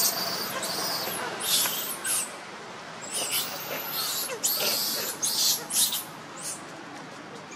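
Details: Hungry baby monkey Leo crying and begging its mother for milk: shrill, arching wails rise and fall in quick repeated bursts, several close together, then a few quieter cries near the end, with constant background hiss.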